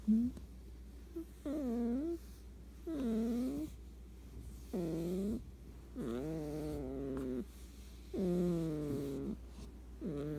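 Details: Snoring of a sleeping cat: rhythmic, harmonic, moaning sounds on each breath, some flat and some curving upward, spaced roughly one and a half seconds apart against a low steady hum.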